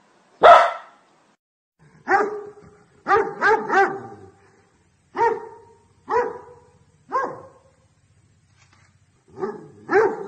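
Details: Domestic dog among a set of breeds barking loud and angry: one harsh opening bark, then a steady run of resonant, tonal barks about once a second, some doubled, with a pause before the final pair.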